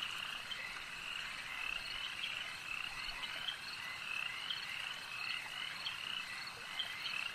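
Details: Lakeside frogs in full chorus, a constant layered trilling with repeated clipped chirps rising over the steady background.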